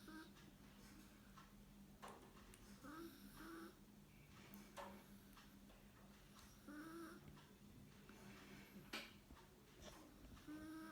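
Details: Chihuahua named Fondue dozing off with eyes open after a full meal, warm indoors, snoring in soft, breathy rasps that come at uneven intervals, quiet overall, with faint brief tonal sounds in a small room.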